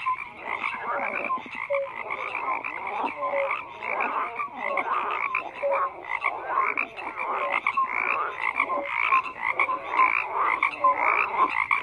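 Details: A steady frog chorus with many callers croaking at once, raspy pulsed calls swelling in uneven waves and short higher tones repeated about once a second.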